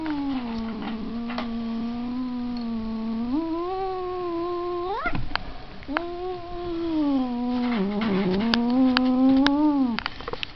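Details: A cat's sustained low caterwaul that runs almost without a break, wavering, then swooping upward around midway before a brief gap and a second long, slightly rising moan.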